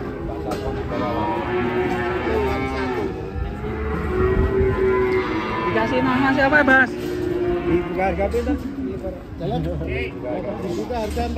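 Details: Huge cattle unloaded from a truck, 2024: a sustained, steady moo of several seconds with rich harmonics, over background chatter and truck noise.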